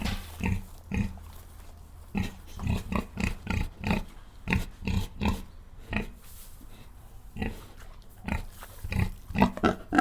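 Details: Farm pigs grunting in rapid bursts of short, harsh, broadband calls, clustered densely through the middle and end, with a low background hum.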